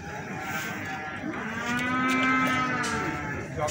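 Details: One feeder cow at Magetan's Plaosan cattle market lets out a single rising, sustained moo that swells and then fades, over a low murmur of market crowd noise.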